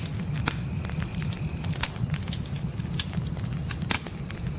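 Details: Crickets calling at night in the forest outside a tent, a high even pulsed trill repeated about four times a second, over sharp crackles from a campfire and its low steady rumble.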